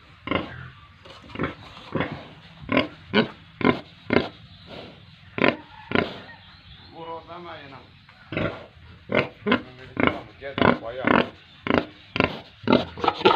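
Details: At a Tripura pig farm, pigs and piglets utter a steady run of short, clipped grunts about twice a second, with a brief stretch of voices in the middle.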